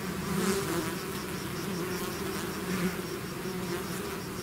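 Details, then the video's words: Short stretch of a bee swarm out of the hive, many insects merging into one steady, humming buzz with slight wavering pitch and gentle rises in volume. "bees therapy swarm natural buzzing sound"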